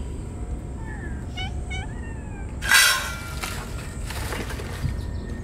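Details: Ear-tipped stray sakura cats on a scorching summer day, calling out while rubbing against each other for joy at feeding time; a few short, thin meows, then a sharp clinking crash and faint rustling.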